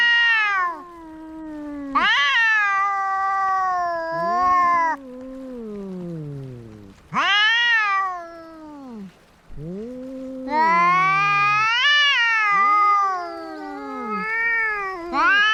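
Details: Two cats locked in a fight exchange repeated, strained yowls and screeches over fifteen seconds, some high and tense, others sliding down into low groaning moans, with brief pauses between bouts.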